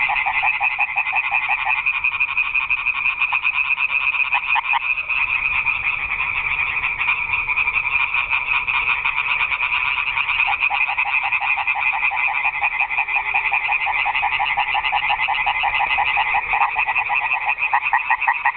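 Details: Nocturnal frog concert in a garden pond: continuous, densely pulsed croaking from many frogs, rising and falling slightly in loudness throughout.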